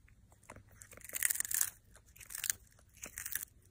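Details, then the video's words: Cat eating, heard as dry, sharp crunches that come in two clusters of rapid bites with brief quiet gaps between them. "고양이 먹방 (CAT MUKBANG ASMR)"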